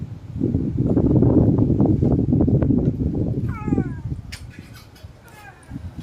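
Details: After a woman chats to the cat in Bengali, the hungry, unfed animal answers with one brief, downward-sweeping meow, followed by a few sharp clicks and rustling sounds.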